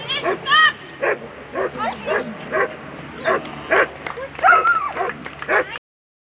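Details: German Shepherd competing at a world championship agility event, rapid excited barks and yips in a steady series, with a handler's voice and speech over them.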